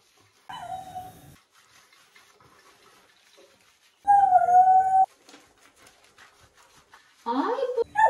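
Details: Dog during a bath gives short steady howls separated by quiet stretches, with faint splashing between them and a rougher whining cry at the end.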